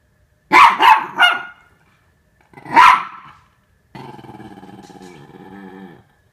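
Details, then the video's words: Norfolk Terriers at play, wrestling to keep Ernie in check: three quick rough barks, one more bark after a pause, then a steady rumbling growl lasting about two seconds with a fast pulsing texture. "Norfolk Terriers Keeping Ernie Under Control"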